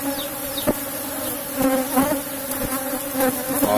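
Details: Steady humming drone of an Apis cerana colony in a box hive as honey is taken, broken by sharp clicks and knocks from handling the combs.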